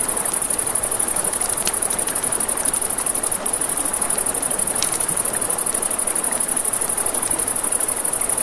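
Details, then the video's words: Crickets trill shrilly and continuously in a riverside night scene, the fast pulses steady throughout, with a campfire's crackling bursts and flowing water beneath. "Crackling Fire, Crickets, Ambient Nature Sounds"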